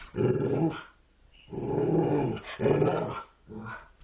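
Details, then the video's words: Dogs talking: three drawn-out, rough growling vocalizations of about a second each, separated by short pauses, with a rising-and-falling tone, ending in a shorter fourth grumble. "dogs talking"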